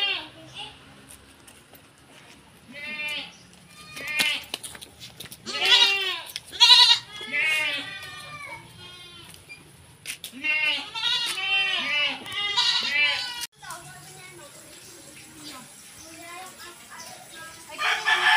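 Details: Goat kids given B-complex vitamin injections, 1 ml each, on a farm in the Philippines; many rapid, trembling bleats in clustered runs, some overlapping, with hiss and soft background noise between them.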